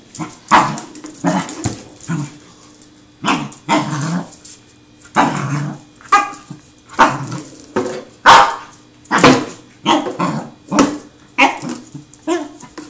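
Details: Excited seven-month-old male Pembroke Welsh Corgi keeps barking while chasing a tin can, over a dozen rough, punchy barks and yips at uneven intervals, some edged with growls.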